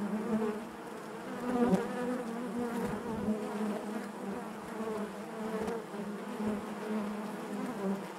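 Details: Honey bees buzzing inside their hive: a steady, dense hum centred low with stacked harmonic bands, gently swelling and fading, with a few brief louder passes of individual bees near the microphone.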